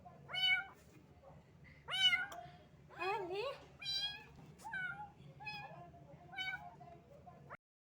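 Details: A small stray cat, found wet in the rain and shivering from the cold, gives a run of high harmonic meows, some rising and some falling, roughly one every second or so, over a faint low background hum.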